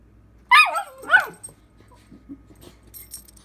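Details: Dakota, a talkative female puppy, gives two quick yelping whines in succession. Each one drops steeply in pitch, and they are followed by soft scattered small sounds in a quiet room.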